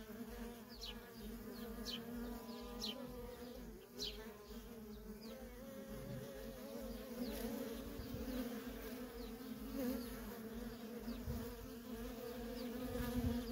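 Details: Worker honey bees coming and going at a feral colony. Their even, layered hum holds throughout, a few brief high descending chirps appear early on, and faint clicks are scattered across the recording.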